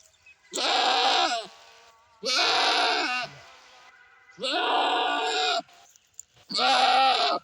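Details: Goat bleating: four loud, wavering, harmonic-rich bleats, each lasting about a second, separated by short pauses, with a quiet background.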